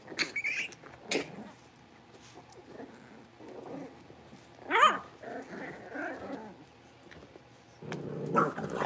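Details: Blenheim Cavalier King Charles Spaniel puppies, a litter of five born at New Year's, playing in their new big pen: low rumbling growls with scattered short, high, rising yips and squeaks, and brief rustling between bursts.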